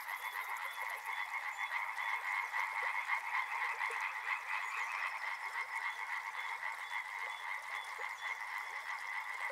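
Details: Riverside frog chorus with many callers overlapping, quick rattling croaks repeated several times per second, a short high buzz at the very start.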